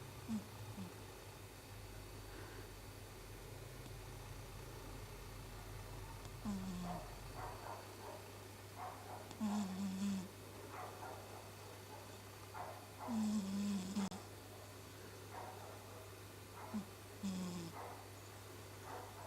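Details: Sleeping house cat Chibi snoring: low, short grating breaths recur irregularly every few seconds, mixed with faint clicks and rustling against a constant low background hum.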